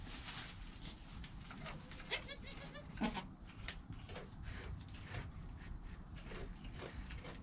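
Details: Within an hour of birth, kid goat Joel calls near his mother Penny: a short wavering bleat around the middle, amid shuffling straw-like noises and a low constant background, captured on a GoPro.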